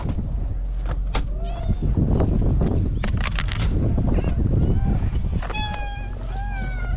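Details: Feral cats on a Japanese cat island being fed breakfast, several drawn-out meows rising and falling near the end, with brief mews earlier, all over loud, constant low rumbling noise and clattering.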